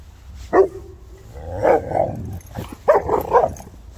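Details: Boerboels playing, three South African mastiffs: one clipped bark, then throaty, growly barks and grumbles running together, ending with a burst of rough barking.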